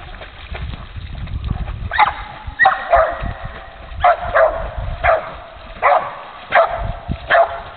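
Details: A female dog barks while swimming, giving short sharp barks roughly every half second to second, often in quick pairs, over steady splashing water.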